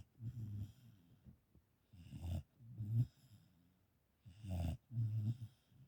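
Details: Dog sitting and watching a film breaks into snoring that startles its owner: deep, throaty snorts in paired bursts separated by quiet pauses, the loudest strokes coarse and rattling.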